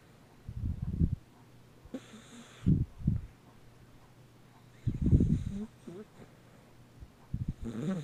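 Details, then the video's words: Deaf dog asleep, snoring with low, rumbling breaths in uneven bursts, about four in eight seconds, with faint hiss between them in a quiet room. "Deaf dog snoring"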